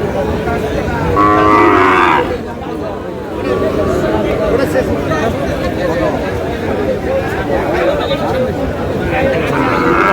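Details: Sahiwal bull calf at a busy cattle market in Natore, Bangladesh, on 7 August: one drawn-out, harmonic moo in the first two seconds, a fainter lowing near the end, with constant crowd chatter and bargaining voices throughout.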